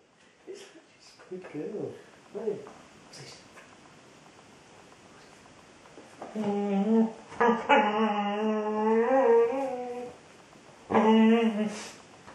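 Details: Female Border Collie singing and talking to her ball indoors: a few short yelps, then long wavering, whine-like tones with rich harmonics that slide up and down over several seconds, ending in one more drawn-out moan.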